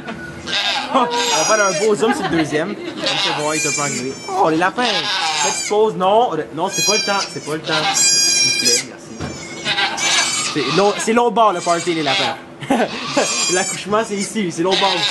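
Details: Goats bleating during the birth of two kids in a sugar shack in Quebec, Canada, recorded on an iPod Touch: repeated high, wavering bleats, some quavering and drawn out, overlapping with steady French conversation from people nearby.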